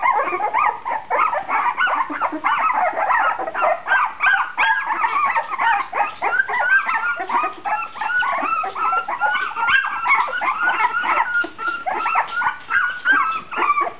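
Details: Two-and-a-half-week-old pups of Shenna's C litter, eyes now open and activity picking up; a long, steady stream of high whines and squeaky yelps from several puppies at once, overlapping with hardly any gaps.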